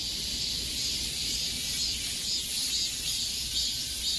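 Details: Cicadas singing in the peak summer heat: a dense, unbroken, high-pitched buzzing chorus with a faint shimmering pulse that swells slightly midway, over a soft low rumble, with no other clear sounds.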